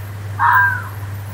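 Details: Single short, rasping fox scream in a forest, about half a second long and tailing off at the end, with a constant low hum underneath.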